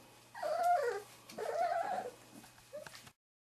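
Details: Three-and-a-half-week-old Wirehaired Pointing Griffon puppies from the 2013 "E" litter, meeting bird scent for the first time. Two wavering, high whimpering whines of about half a second each are followed by a brief squeak over a low steady hum.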